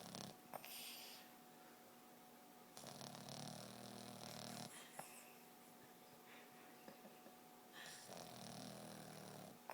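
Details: A Boston Terrier sleeping deeply and dreaming snores in long, rasping breaths with a low, throaty rumble.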